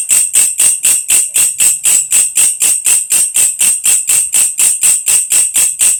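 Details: Belalang kecek, also called belalang krek-krek or belalang kerik, a grasshopper used as a master sound for training lovebirds; sharp metallic buzzy pulses repeated about four times a second in a steady, even rhythm.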